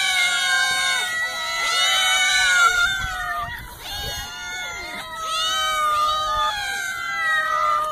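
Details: Cats caterwauling: long, strained yowls that bend downward and then rise again, several voices overlapping, each held for about a second or more before sliding into the next.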